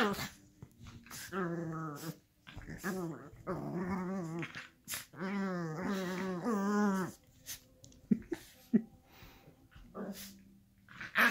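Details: Miniature schnauzers rough-housing together on a couch indoors, making loud, wavering growl-whines in long bursts with rising and falling pitch, broken by short pauses and a few sharp knocks.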